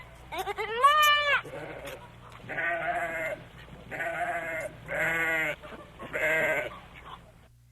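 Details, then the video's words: Goat on a farm bleating: one rising, quavering bleat, then three loud wavering, nasal bleats about a second apart, with faint background hum between calls. "FARM ANIMAL SOUNDS : GOAT"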